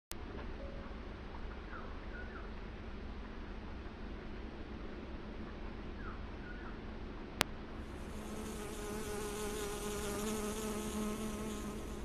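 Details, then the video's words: {'caption': 'Honey bee gathering nectar from flowers. A low, steady harmonic buzz begins about two-thirds of the way through and holds to the end. Before it there is a quieter outdoor hum with faint, brief chirps from small birds.'} "Honey bee getting honey from flowers"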